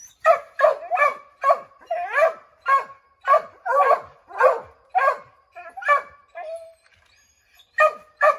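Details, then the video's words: Several Redbone Coonhounds, named Bo, Luke, Lulu, Cooter and Jesse, barking at a chipmunk treed in an oak, trying to drive it out; a fast series of sharp, loud barks, some bawling, with a brief pause before more barks. "Redbone Coonhounds Tree a Chipmunk"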